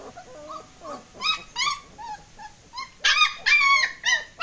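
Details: Escaping German Shepherd puppies yelping and whining: bent, rising-falling whimpers from more than one pup, building into louder, strained, drawn-out squeals toward the end.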